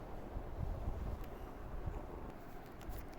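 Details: Low wind buffeting and rumble against the microphone, with faint clicks near the end; no animal calls.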